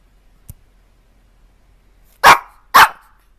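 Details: Puppy barking indoors: a faint click, then after a quiet stretch two loud, sharp barks about half a second apart.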